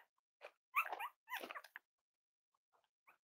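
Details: Cavalier King Charles Spaniel puppies playing with each other and exploring during potty training, giving short high whimpering yelps in three quick bursts, then faint squeaks after a pause, indoors.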